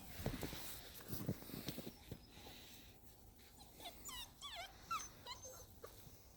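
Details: Belgian Malinois puppies whimpering: a run of thin, wavering high whines rising and falling in quick wiggles during the second half, after soft thumps and shuffling, with a person's quiet encouragement just before.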